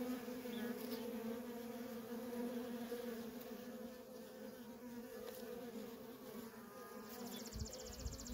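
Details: Continuous humming drone from a stream of worker honey bees coming and going at a wild feral colony. Near the end a quick high pulsing tick and a few low thumps are heard.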